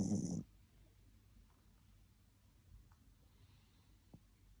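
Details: Pet Spitz dog asleep, snoring: one short, loud, rough snort at the start, then soft, low breathing with faint small clicks in a quiet room.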